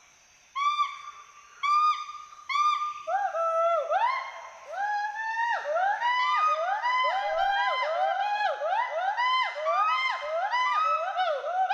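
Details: Two endangered Western hoolock gibbons climbing and swinging through forest trees at Hollongapar Gibbon Sanctuary, Assam, give loud, rising-and-falling whoops and hoots that overlap and quicken into a chorus of social and territorial calls.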